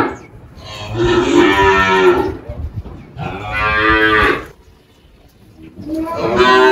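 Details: Malhada, an 18-year-old spotted Girolando cow on a farm in Anápolis, Goiás, Brazil, recorded 1 March 2023, lows repeatedly: two long, harsh, strongly harmonic moos of about a second each, a quiet gap, then a third beginning.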